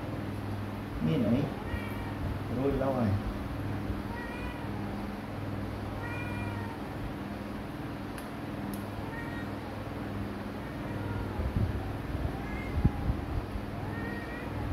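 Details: Kitten meowing repeatedly indoors, short tonal mews rising and falling, roughly every one to three seconds, over a steady low hum with faint voices in the background.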